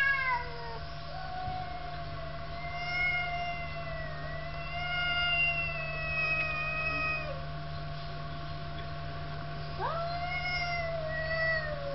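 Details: Two cats quarrel in long, wavering yowls that hold for several seconds, dip slightly and then rise again in a sudden upward sweep near the end, all over a steady low hum.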